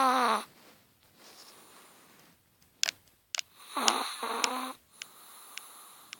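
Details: A sleeping Chihuahua gives a short falling snore at the start, then a second wheezy, harmonic snore after a pause broken by small taps and clicks in a quiet indoor setting.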